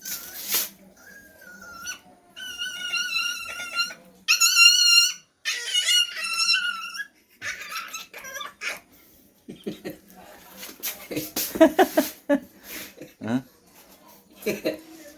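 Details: Happy, a puppy in Africa abandoned three times and now being rescued, gives long, high, wavering whines with rich overtones, then a run of shorter squeaky yelps and whimpers, with people talking nearby.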